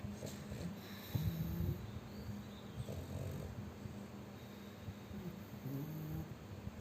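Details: Chubby pug dog asleep, snoring heavily: deep rumbling breaths drawn out over about half a second each, repeating in slow rhythm with soft snorts between, indoors and otherwise quiet.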